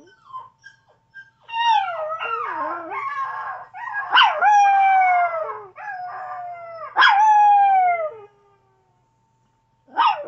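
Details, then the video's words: A Chihuahua called Chevy gives a sustained howling bout, long wavering tones gliding down in pitch, punctuated by two abrupt high yelps that fall away, with a short pause before a final yelp. "Chihuahua howling"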